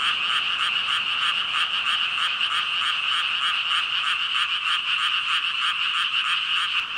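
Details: A dense chorus of thousands of frogs calling at once, a continuous ribbit-ribbit croaking with steady pulsing bands and no gaps, filling the whole stretch with no other clear sounds.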